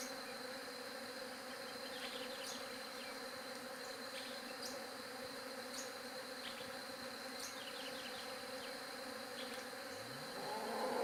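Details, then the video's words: Bees buzzing as a steady, dense drone with layered harmonic bands, occasional brief high ticks above it, and a rising swell of louder sound near the end. "SOM DE ABELHA"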